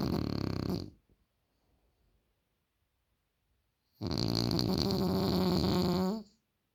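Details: Loud indoor snoring from a French Bulldog, a short rumbling breath at the start, then a long gap before a two-second drawn-out snore with a whistling, wavering overtone near its end.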